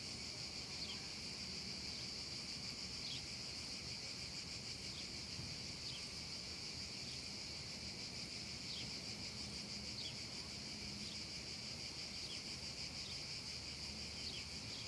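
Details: Summer afternoon cicada chorus over a meadow in the heat. A dense, level high buzzing runs without pause for the whole stretch, with scattered quick chirps and a soft low hum beneath.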